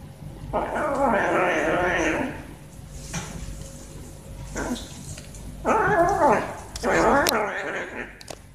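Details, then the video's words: Pet cat among two climbing quickly for food, with a long strained wavering meow, then after a pause two more bending, harmonic-rich yowls in quick succession, and a short sharp click near the end. "I LIKE SOUND WHEN CAT EATING"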